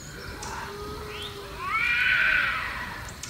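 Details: Bobcat (Lynx rufus), howl.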